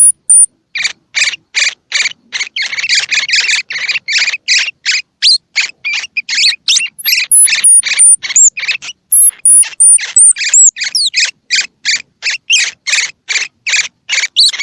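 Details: Baby squirrel feeding-stimulation calls for young with eyes open or closed: a long, quick run of raspy high chirps, interrupted by thin piercing whistled squeaks and sliding notes midway, then the rapid chirping resumes.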